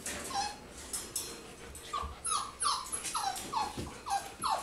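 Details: Four-week-old golden retriever puppies making short, high whiny squeaks that slide downward, repeated roughly every half second in a quick uneven series, with soft rustling underneath.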